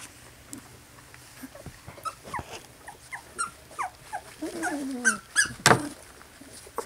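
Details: Poodle puppies of a Louisiana litter, slightly over two weeks old, giving soft, high whimpers and squeaks that come in quick irregular runs, with some falling cries and a louder burst near the end.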